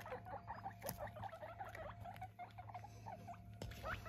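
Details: Pet guinea pigs, one of eight being weighed indoors, give a busy run of short squeaky chirps, quick rising notes repeated many times over a few seconds, with faint handling noise and a steady background hum.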